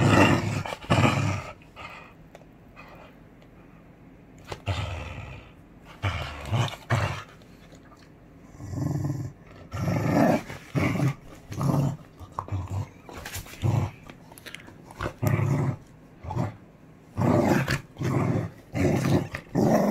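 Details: A beagle playing tug-of-war with a bone-shaped toy growls in rough, low bursts, repeated about once a second with short pauses, some longer rumbling runs in between.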